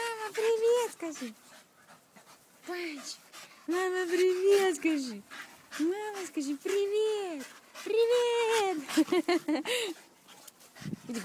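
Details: Staffordshire Bull Terriers, staffies, giving a run of tonal whining, howl-like cries, each arching up and falling in pitch, in bursts about a second long with short pauses and quick breathy panting between them.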